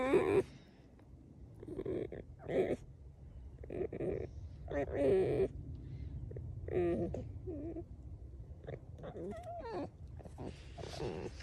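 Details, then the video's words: Alice, a pet fox in a bad mood, complaining with short bursts of wavering, harmonic whines and chattering yelps. The bursts come in separate clusters with brief silent gaps between them. A human voice is also heard. "Лиса Алиса (Настроение так себе!!)"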